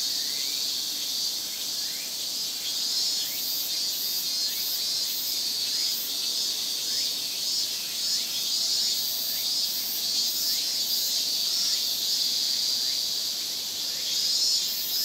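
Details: Summer cicada chorus in Japan, the semi-shigure of many insects calling together: a continuous high, sizzling drone, with quick rhythmic pulsing from some callers layered on top through much of the stretch.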